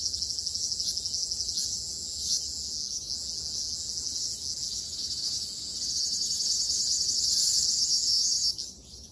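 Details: Summer forest chorus of Ryukyu large brown cicadas on Okinawa, a loud, steady, shrill buzzing drone that holds almost unbroken, grows slightly stronger near the end, then drops away sharply in the final second.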